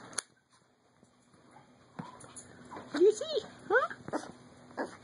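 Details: Max, a 5-month-old light platinum silver micro teacup Teddy Bear poodle expected to reach about 2.25 pounds, gives high wavering whimpers and squeaky whines, several sweeping up and down in pitch, while a person talks softly nearby.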